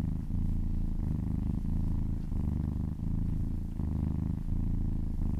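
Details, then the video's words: Contented purring from a massaged kitten, a deep throbbing rumble that swells and eases with each breath, roughly forty cycles a minute. "Purring kittens"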